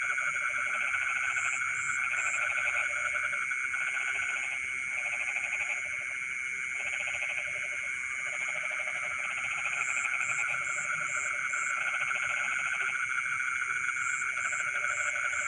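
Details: A night frog chorus in rice fields, pulsed croaking in repeated bursts of one to two seconds with short gaps, beneath continuous insect buzzing and intermittent high chirping pulses.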